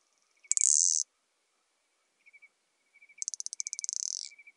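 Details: Bush-cricket Isophya modesta recorded in Marz, Austria, 13 June 2020: a loud, hissing half-second burst, then soft ticking chirps, then a longer buzzy train of rapid pulses that swells and fades.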